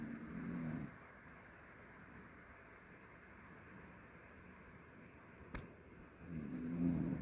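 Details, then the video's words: Jjanga, a pet mixed-breed dog, snoring: a low rumbling snore breath at the start and another near the end, separated by quiet steady background hum, with one sharp click midway. "짱아 코골이 집중하세요"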